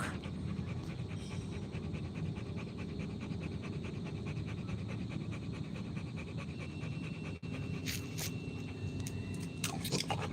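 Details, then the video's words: Rottweiler dog panting in quick, steady, rhythmic breaths for about seven seconds over a constant low rumbling background noise. A brief drop-out follows, then sharp crackling bursts toward the end. "ROTTWEILER DOG"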